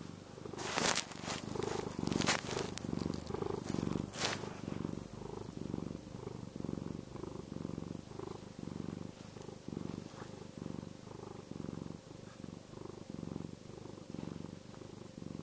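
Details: Chester, a domestic cat, purring in a contented, soothing way: a steady low rumble that swells and fades about once a second, with a few sharp clicks and rustles near the start.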